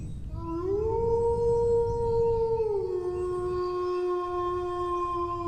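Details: Dog howling one long note that rises at the start, holds high for about two seconds, then steps down to a lower level and sustains steadily.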